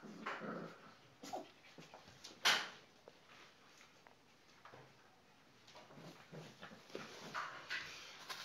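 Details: Rottweiler puppies, 34 days old, from a litter of Cromo vom Sittard and Asha vom Goldenhorn, give scattered short whimpers and yelps, with one sharp loud squeal partway through, amid scuffling and clattering movement.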